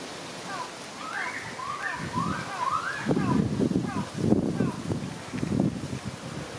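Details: At Tokiwa Zoo in Ube, Japan, on 14 March 2020, a white-handed gibbon gives a run of clear, swooping whoops that rise and fall in quick succession.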